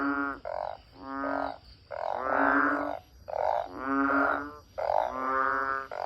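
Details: Banded bullfrogs beside a house, calling in a mass chorus through the whole night after heavy early-evening rain and still going at dawn; deep, nasal, droning croaks about a second long, overlapping from several callers with brief gaps.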